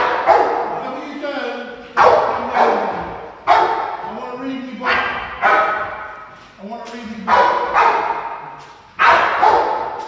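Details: Ten-month-old Rottweiler in 360 protection foundation training, giving loud, harsh single barks roughly every one and a half to two seconds, each ending in a falling tail, with a man's voice speaking between barks.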